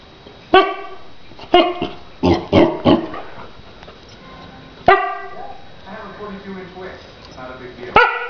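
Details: Akita puppy named Porscha, a 3.5-month-old female pet, barking: sharp harmonic yaps come singly and in a quick cluster of three to four, spaced unevenly over several seconds, with a person's voice calling her name between barks.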